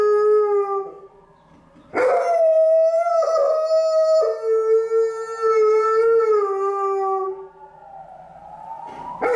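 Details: Alaskan Malamute named Liza howls from the stairs on a gloomy afternoon in response to a passing ambulance; prolonged harmonic howls step between two pitches, holding steady, then a rising glide at the end.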